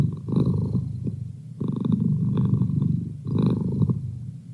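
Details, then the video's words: Domestic cat purring steadily indoors as a study companion, a deep rumbling purr in three long breaths with brief pauses between inhale and exhale, low and continuous throughout. "Cat Purr"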